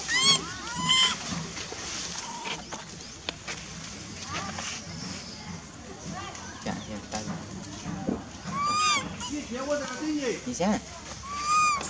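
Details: Wild baby monkey Lizza at Angkor Park forest, crying out for its mother: short bursts of high, bent, wavering wails at the start and again later, separated by stretches of rustling, faint voices and ambient noise.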